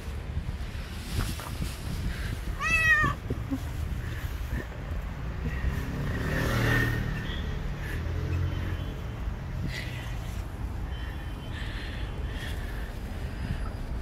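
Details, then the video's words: Loud meow from a stray cat on the street, seemingly wanting to tell something: one strong, wavering cry early on, then only low rumbling traffic and faint street sounds. "The Cat Meowing loud wants to tell me something."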